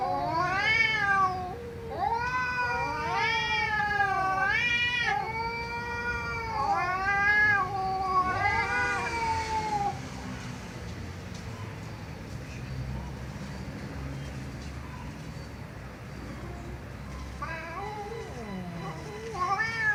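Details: Cats meowing loudly: a run of drawn-out, wavering, harmonic meows in quick succession for about ten seconds, then quieter background hiss with a couple of faint meows near the end.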